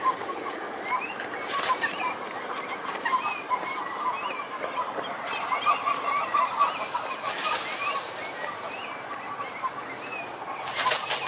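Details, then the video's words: Pond chorus of many frogs in nature: a dense mass of overlapping croaks and trills, with short rising chirps above and a few brief bursts of broadband noise. "Sapos Cantando na Lagoa - impressionante"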